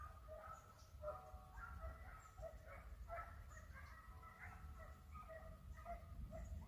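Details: Hounds chasing a hare give overlapping high, yelping barks in rapid succession, a continuous ringing chorus from some distance, with strong low wind noise.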